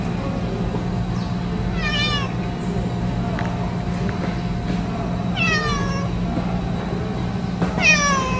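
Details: Outdoor stray tuxedo cat waiting while its mate eats gives three short, falling meows spaced a few seconds apart over steady low humming background noise and soft music.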